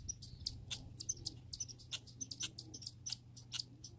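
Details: Grey and red squirrels heard up close in a backyard: quick, piercing squeaks and chirps repeat several times a second over a faint low hum.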